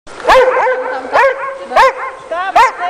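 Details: Afghan Hound at the Służewiec horse racetrack in Warsaw, Poland, at the opening of sighthound training in 2009: four loud, sharp yipping barks spaced roughly every half second. A person calls out a name right afterwards.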